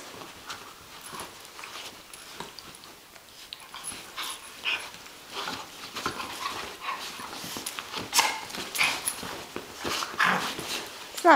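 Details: Bella and Shiloh, a Catahoula Leopard Dog and an Australian Cattle Dog, play-wrestling indoors in June 2010: scuffling, snuffling and soft whimpering noises in irregular bursts, growing busier toward the end, with a woman's voice talking to them.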